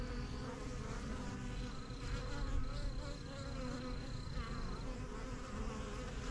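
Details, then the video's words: A busy backyard beehive, first kept in spring 2023, with bees flying in and out of their new yellow box. Rich, layered droning with steady low hum, passing buzzes and a faint high whine in places. "BUSY BEE HIVE AMBIENCE"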